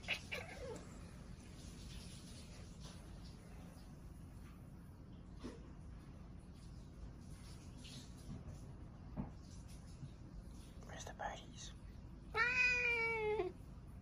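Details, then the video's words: Chatty pet cat: near-silence with faint clicks and soft rustles, then one loud, clear meow that slides slightly downward and lasts about a second near the end. "Cat talking"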